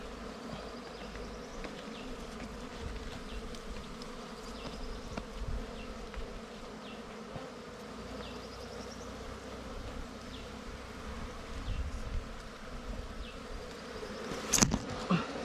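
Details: Continuous drone of wild bees swarming around their nest during a honey hunt, a dense low hum with stacked even tones holding for the whole stretch, a sharp click near the end.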